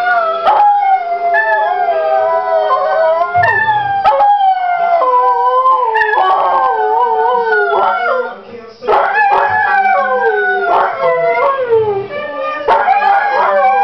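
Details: Former racing greyhound kept as a pet, singing along to "Oh Well": sustained, quavering howls rising and falling in pitch, stacked with rich overtones, with a short breath pause around the ninth second. Music plays throughout.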